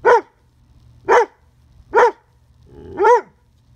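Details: Dobermann puppy, female, barking at a beetle on a fence: four sharp, harmonic barks roughly one second apart, each with a quick rise and fall in pitch, the last slightly longer; faint low rumble between barks.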